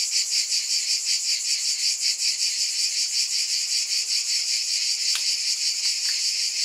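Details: Cicadas droning in a thick, high-pitched chorus with a fast rhythmic pulse, broken near the end by a couple of brief sharp clicks.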